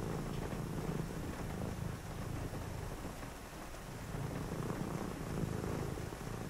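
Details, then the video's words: A cat purrs on a rainy night while someone reads; deep continuous purring with faint swells, rain and distant thunder rumbling underneath. "cozy read with me (& a purring cat) on a rainy night"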